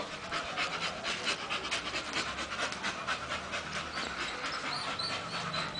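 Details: Female Bull Terrier Masseter Alanis, described as tired but walking well, pants hard: fast, regular airy huffs repeated roughly twice a second, with faint background noise.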